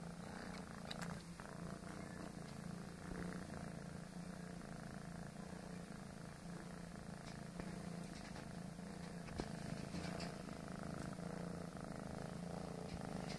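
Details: Foster kitten, a male, kneading and purring: a low, continuous, even rumble with fast regular pulses and little else heard.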